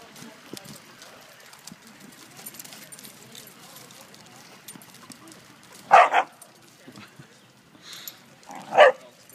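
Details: A Siberian Husky puppy rough-housing at a dog park gives two short, loud barking yelps over a quiet background with faint human voices.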